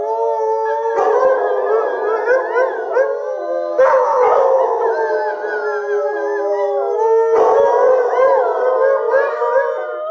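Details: Three Alaskan Malamutes, Sojou, Fish and Dotty, howl with a young companion; three surging waves of overlapping, warbling voices, each starting with a harsh burst, with tones rising and falling throughout.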